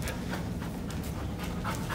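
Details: Buster, a Lab Shepherd mix dog in training, panting in rapid soft breathy pulses, about a few per second, under a steady low hum of background noise.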